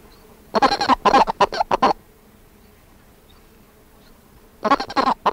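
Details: A Colorado River toad (Bufo alvarius), a large toad, gives its warning note, quick hoarse clucks in two short bursts that sound more like clucking than chirping.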